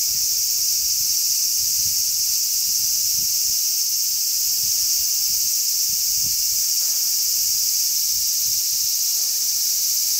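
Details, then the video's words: A crowd of large brown cicadas on a zelkova, recorded 3 August 2010, make an unbroken high, hissing buzz at constant loudness, while gusts of strong sea breeze thump and rumble low in the background. "Large brown cicadas chirp."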